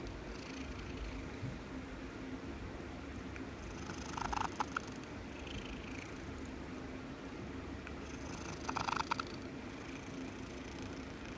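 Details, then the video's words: Domestic cat purring softly beneath a steady background hum, with two short bursts of brighter rustling or scratching noise in the middle and near the end. "Cat purring compilation"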